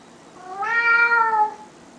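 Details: Pet cat known for its one-word talking gives one long, clear meow with rich harmonics, rising slightly then sagging at the end, in a quiet indoor room.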